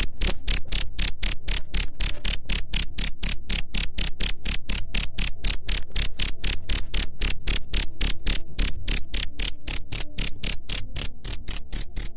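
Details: Continuous cricket calling meant to scare off rats: quick, evenly spaced chirps, about four a second, each a ringing high note with a percussive click. The pattern holds for the whole stretch.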